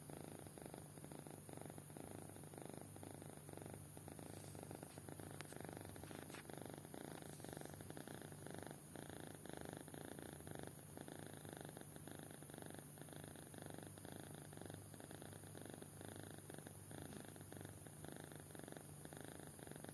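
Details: Kitten in deep sleep snoring steadily for twenty seconds, quiet raspy breathing pulses repeating at a regular pace, a low constant hum and a few faint clicks in the background.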